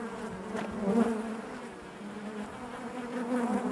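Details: Short stretch of honey bees humming inside their hive, a smooth low buzz with a faint rising and falling pitch and a brief louder swell near the start.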